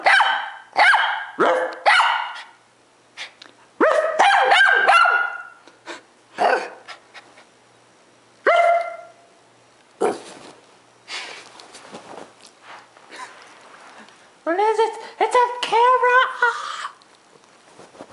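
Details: House dogs that begin playing before a bark war with the owner: scattered sharp barks and thumps with quieter gaps, then a final burst of high, wavering yelping barks.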